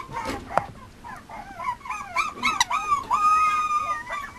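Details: Male Mame Shiba Inu puppy in Japan whining and yelping, wavering high cries that slide up and down, ending in a long drawn-out flat whine, with a faint knock early on.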